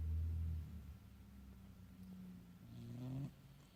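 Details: Male domestic cat sleeping indoors, snoring: a deep rumbling low snore at the start, a softer drawn-out breath, then a rising nasal snort near the end, room otherwise quiet.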